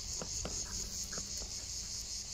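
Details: Cicadas singing on a hot day in the Landes, France, heard on a walk with a dog; a steady, shrill, high buzzing drone runs throughout, with soft footstep taps and scuffs underneath.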